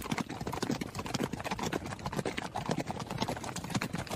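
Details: Hooves of a running horse, a quick, uneven series of sharp knocks and dull thumps packed closely together over a few seconds.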